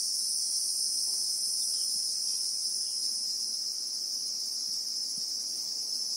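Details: Christmas beetles (Anoplognathus) droning in acacia bushveld, South Africa: a constant piercing whine in two bright bands that never pauses, a little quieter overall, over a faint crackling background.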